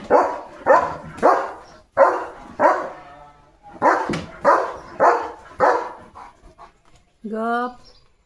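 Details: Leo, a German Shepherd on village guard duty one morning, barks at cattle, vehicles and dogs; a string of harsh barks with a short gap midway, ending with a drawn-out tonal voice-like sound.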